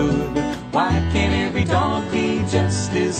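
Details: Plucked acoustic guitar playing a country-style tune.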